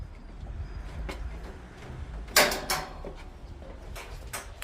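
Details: Quiet indoor room noise with a sliding door or cupboard clatter and a few thumps, no animal sounds heard.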